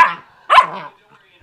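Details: Vayda, a 12-week-old German Shepherd Husky mix puppy, gives two quick, high-pitched barks about half a second apart while playing with and barking at her first porkhide roll.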